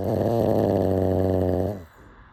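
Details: One sustained, low, rattling snore from a sleeping pug, nearly two seconds long, fading out abruptly into quiet.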